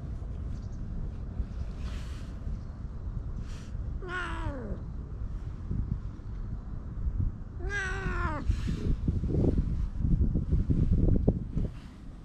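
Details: Strays beneath a bench while being petted, other cats joining: two loud, drawn-out falling meows about four seconds apart, followed by scratchy rustling and handling noise against background traffic.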